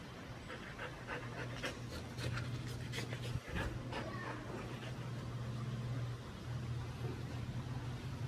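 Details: Five-month-old Siberian Husky puppy, shedding his baby teeth, panting in quick rhythmic breathy bursts, strongest through the first half, over a steady low hum with a brief thump midway.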